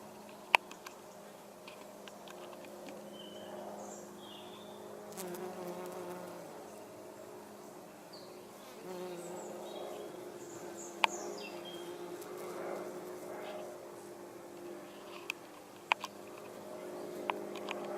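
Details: Common wasp, Vespula vulgaris, drinking nectar at angelica flowers; a low, wavering buzz with faint harmonics swells and fades in soft waves, over quiet background hiss and a few sharp clicks.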